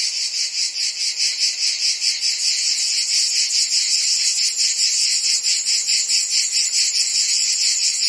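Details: Shrill, high chirping of many crickets and insects, a constant chorus that throbs somewhat irregularly about twice a second, uninterrupted throughout.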